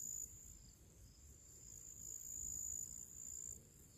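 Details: Crickets sing their pre-evening song outdoors in summer among purple flowers: a steady, very high, thin trill over a faint low rumble.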